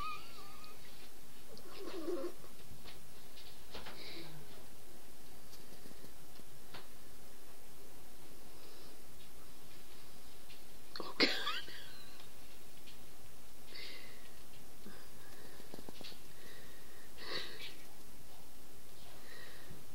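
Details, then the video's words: Hungry squirrels quarrelling: scattered short, harsh squeals and chattering bursts break out every few seconds, with one sharp click near the middle, over a constant low rumble of background noise. "Hungry Squirrels quarelling"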